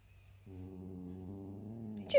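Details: Indoor cat meeting his little brother gives a low, steady, droning moan lasting over a second and a half, ending in a short, loud, higher cry.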